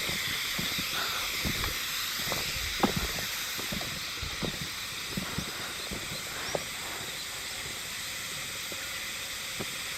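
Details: A constant hissing, high-pitched drone of Hime-harusemi cicadas in Yamaguchi Prefecture, Japan, 19 July 2022, insects not spotted; irregular soft clicks and taps scatter underneath the unbroken chorus.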